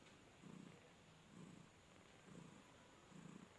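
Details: Six kittens, two reddish, two ginger and two white, drinking milk at Nayabati cat market, Khalishpur, Khulna, Bangladesh. Four quiet, deep purr pulses come roughly once a second, each rumbling briefly over soft steady hiss.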